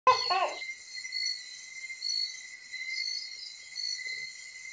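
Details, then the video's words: Crickets in the Philippine provinces near a bahay kubo hut: a brief burst of human voice opens, then a steady, unbroken high tonal trill holds alongside fainter shimmering higher buzzes. "KULIGLIG AT KULISAP"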